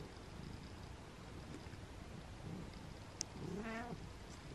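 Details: On a cold, rainy day Butters, a male pet cat, lets out one short, rising-then-level meow late in the clip, after a sharp click. Softer low murmurs and room hum come before it.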